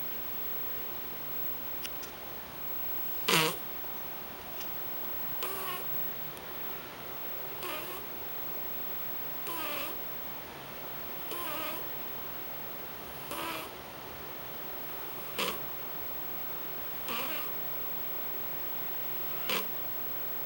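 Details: Domestic cat snoring loudly at home, short breathy rasping snores recurring roughly every two seconds, some louder than others, over a steady faint background hiss.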